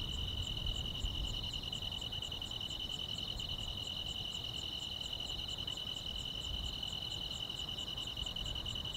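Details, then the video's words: A chorus of grass insects fills a calm countryside summer night, two sustained shrill trills overlapping while a thin, very high beat pulses rapidly and evenly above them, with low background rumble. "여름밤의 포근한 풀벌레 소리"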